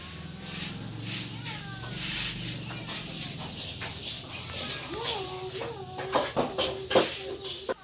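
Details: Cats and kittens meowing: several short, tonal meows with wavering, slightly falling pitch arrive in quick succession in the second half, after a quieter stretch with one faint early call, over steady background hiss and low hum.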